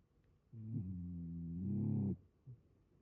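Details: Shiba Inu snoring through a stuffy, blocked nose: a single low, humming, nasal snore of about one and a half seconds, slightly rising in strength, followed by a short faint puff.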